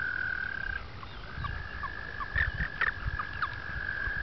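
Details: Mating-season frogs on a two-acre upstate New York pond, April 2009: a long, level trill pauses briefly and resumes, with short chirps and low croaks scattered over it.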